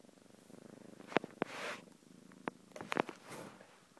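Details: Quiet cat purr, a low pulsing rumble, broken by several sharp clicks and short bursts of handling or rustling noise in the middle and later part.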